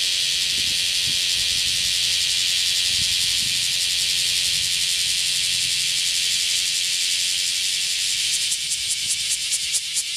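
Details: A male bear cicada in Nishiki Citizens' Forest, Kaizuka, on 27 July 2015 sings a loud, steady, hissing buzz that breaks into rapid pulses near the end; it sings even while moving.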